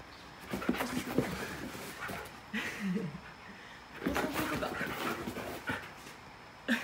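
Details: An indoor Siberian Husky gives short, rising whines and yelps of excitement after its owner asks if it wants to go for a walk, while the owner talks nearby.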